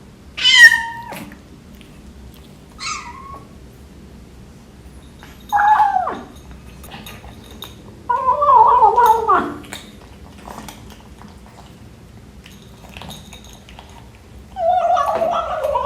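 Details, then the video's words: A 12-week-old British Shorthair kitten meowing during breakfast: several short, bright meows, some falling in pitch, come at irregular gaps, with a longer wavering meow in the middle and quiet indoor background. "Kitten making funny eating noises"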